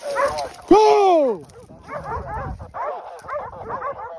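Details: Hunting dogs in Pratomagno, Arezzo, Italy, bark and yelp in quick, overlapping bursts while holding a herd of wild boar at bay during a drive hunt, with a man shouting over them.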